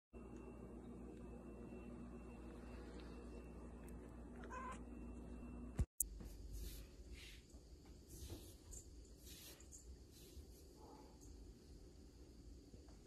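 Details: Ragamuffin cat giving a single brief, soft meow partway through, set against a steady low indoor hum and faint rustling, with a sharp click followed by quieter room noise afterward.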